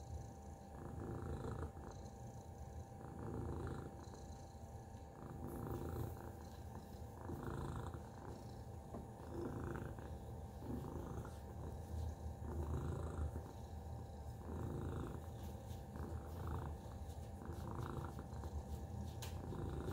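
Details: Long, unbroken purr from Tacy, a pet cat: a deep rough rumble throbbing rhythmically, growing slightly louder and softer in waves, with a few light clicks and a faint steady background tone.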